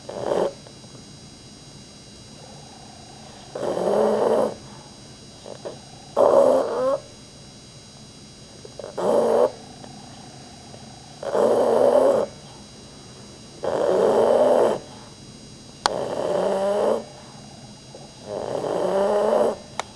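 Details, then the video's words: Sleeping pet dog named Rudy snoring louder than most humans; short harsh rattling snores, each under a second, come in a steady rhythm every two to three seconds with near silence between. "My dog RUDY snoring!"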